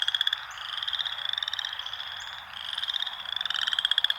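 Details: Frogs in a natural setting give rapid clicking pulses that run into sustained shrill trills, a brief lull, then more pulsing. Overlapping voices form a dense, high-pitched chorus.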